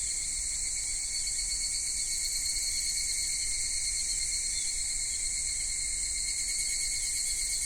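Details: At Michinoku Folk Village and Kitakami Tenshochi in Kitakami, Japan, summer cicadas from minmin-zemi to dusk higurashi keep up a sustained, high, metallic buzzing chorus in several bands, level and continuous, with faint low background noise.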